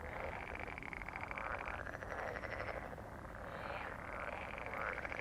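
A dense chorus of frogs croaking together in rapid, rattling pulses.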